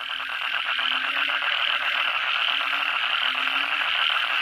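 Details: Kodok bangkong (Asian common toad) and other frogs calling together at night after heavy rain: a dense, continuous chorus of rapid overlapping croaks and trills forming a steady wall of sound, with a faint low drone running beneath.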